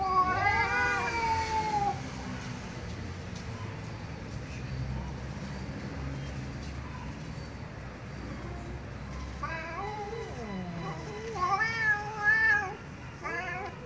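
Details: Angry domestic cat meowing loudly: a long wavering meow at the start, then a quiet stretch of steady background noise, then a burst of three or four sharp, rising-and-falling meows near the end.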